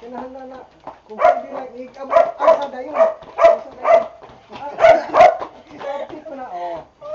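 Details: Boxer dogs Bonbon and Melchor during a training session: loud, sharp barks repeated roughly every half second, with a person talking and giving commands between and under the barking.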